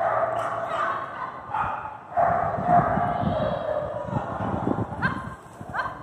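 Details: Border Collie named Sparky at an AKC Master Jumpers agility competition in Wichita Falls, Texas, November 2021, where it won first place; sharp harmonic barks come in quick, uneven bursts, with voices and arena noise behind.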